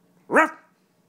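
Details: German Shepherd playing tug-of-war indoors, letting out a single short, sharp bark that rises and falls quickly, with a person's voice saying no around it.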